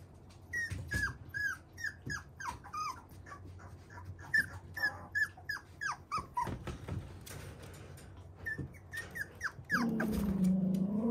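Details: A fluffy male Toy Poodle puppy whines steadily: a long series of high, falling, squeaky cries, about three per second, with short pauses. Near the end a steady musical tone starts underneath.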